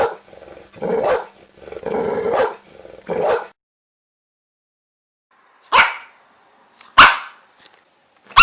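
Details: Dog barking: four rough, drawn-out barks in quick succession, then a pause of about two seconds, then three short, sharp, loud barks spaced about a second apart.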